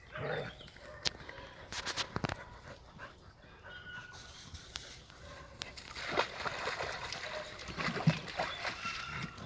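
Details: Two Heideterriers, Willy II and Wilma von der Lönsmeute, father and daughter, playing together during the hunting off-season; short rough barking and growling bursts come in two clusters, with sharp clicks, rustling and faint voices between them.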